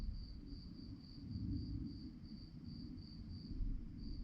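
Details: Crickets at night giving a steady high-pitched pulsed chirp, about four short pulses per second, briefly pausing near the end, over a constant low rumble of background noise.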